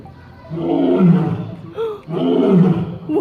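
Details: Lion at a zoo giving two deep, rough, moaning roars, each about a second long and separated by a brief pause.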